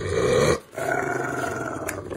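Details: Domestic dog giving a throaty, rumbling growl that breaks off briefly, then resumes as a steadier grumble, with a person speaking nearby.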